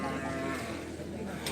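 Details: Cattle at a Karapan Sapi bull race, a traditional Madurese racing event at the Asemanis field in Pamekasan, Madura, East Java, Indonesia: one sustained, steady low moo with rich harmonics fills the moment, over a background of crowd noise.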